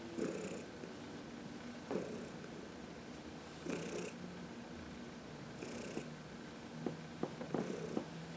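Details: Sun-warmed and massaged, the elderly cat Heidi keeps up a deep contented purr on March 19, 2021; rumbling pulses follow her breaths about every two seconds, with light ticking sounds near the end.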